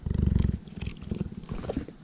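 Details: Male cheetah purring while hand fed by his keeper, which he does not do when eating alone; low, rapid pulsed rumble strongest in the first half second, then softer, with chewing sounds and the keeper's voice.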